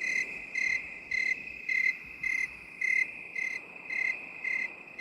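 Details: High, bright cricket chirps repeating roughly every half second, recorded in binaural mode, set against a constant thin whine of more insects and otherwise silent surroundings.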